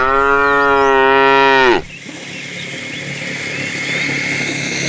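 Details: Being herded with a tame group of cows in the afternoon, a fat cow calling the female gives one long, steady, deep moo of nearly two seconds that drops off sharply at the end, followed by engine-like background noise.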